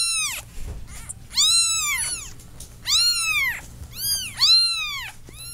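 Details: Kittens meowing insistently indoors, five or six high, curved cries in quick succession, some overlapping, with a soft low hum underneath.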